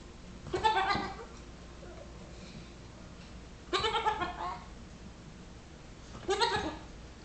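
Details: Nigerian Dwarf baby goat, six weeks old, pestering a Yorkshire Terrier; three loud, shaky, harmonic bleats, each under a second, roughly every three seconds, with quiet in between.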